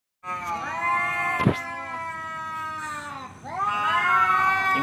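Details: A male cat challenging another to fight, giving long, drawn-out, wavering caterwauls rich in harmonics. The first wail sags in pitch over three seconds, then a second rises loudly. A short thump falls in between, and a person speaks afterwards.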